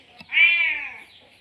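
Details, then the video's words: Male domestic cat in heat, just after mating, calling for a female: one drawn-out harmonic meow rising then slowly falling, about 0.7 seconds long, after a faint short click. "Meong meong sijantan manggil betina"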